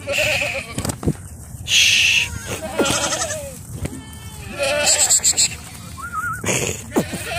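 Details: A herd of sixty Bishi goats with thirty young near the coast north of Al Qunfudhah. Repeated quavering bleats from several animals overlap, some rising and falling, with bursts of rattling noise and a low background hum.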